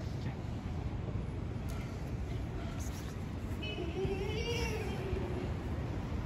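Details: One long, wavering meow from a street cat, rising and then sinking, arrives midway through against constant low urban traffic rumble, as stray cats talk to each other outdoors.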